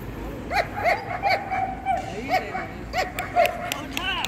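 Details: Young female German Shepherd, six to nine months old, at a Vietnamese dog show on 27 December 2020, giving a run of short, ringing barks, about ten in four seconds, while a handler's voice calls out nearby.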